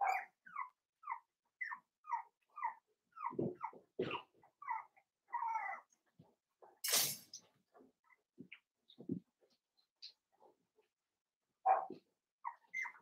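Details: Five-week-old Cavalier King Charles Spaniel puppies in Daisy's indoor puppy pen: high, squeaky whimpers repeated about twice a second, then scattered low thumps, one sharp hissing burst and a final run of whines.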